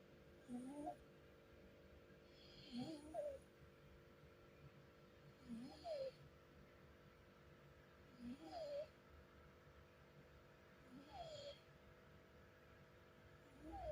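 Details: A sleeping cat snoring softly, each breath a quiet, rough rasp with a faint hiss, repeating about every two and a half seconds in a calm, steady rhythm against a still background.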